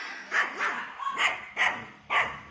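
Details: Morning walk with a third-generation poodle in a residential complex. Four clear, hoarse barks come about half a second apart, with a brief higher note between the second and third.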